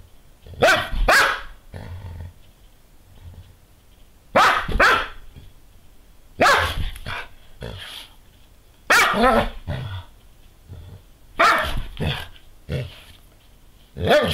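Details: Female Doberman Pinscher, recorded just after sunrise, jumping around in circles chasing her tail in a daily ritual after licking and cleaning herself; sharp, harsh barks come in bursts of two or three roughly every two to three seconds.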